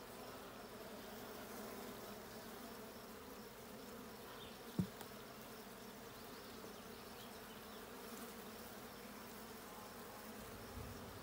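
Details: Honey bees during a hive check of the blue hive on 20 June 2022: a steady, dense buzzing hum with bands low in pitch, unbroken throughout, and one sharp click near the middle.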